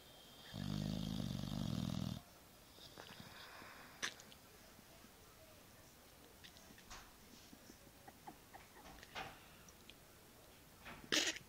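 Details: Tyson, an eight-and-a-half-month-old Boxer pup, knocked out asleep on a bed, gives one loud, rough snore lasting about a second and a half, followed by quiet breathing and faint clicks in a small room.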